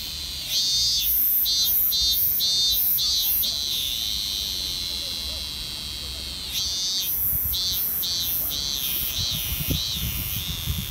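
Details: Cicadas in Japan in summer fill the air with a deafening, continuous high-pitched hiss, overlaid with buzzy pulsing bursts in quick succession that fade briefly midway, then return just as strong.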